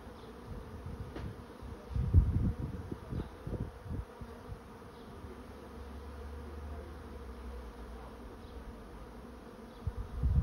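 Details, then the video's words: Steady humming drone from a honey bee swarm moving into a trap, with bursts of deep rumbling early on and near the end, and a smoother low hum in between. "Bee swarm moving into trap"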